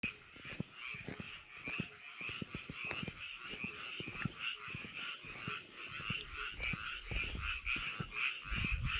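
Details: Frogs in a rice paddy: a dense chorus of rasping croaks in the upper range, with many overlapping callers and irregular low thumping clicks throughout.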